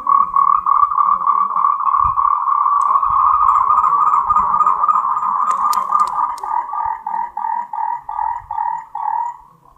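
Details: Moltrecht's green tree frog (Zhangixalus/Rhacophorus moltrechti), endemic to Taiwan, gives its mating call: a rapid, mid-pitched pulsing call that breaks into separate croaks.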